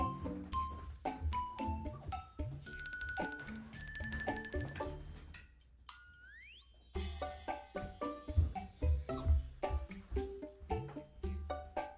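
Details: Quiet tinkling mallet percussion and glockenspiel music with a brief rising swoop in the middle, and no animal sound present.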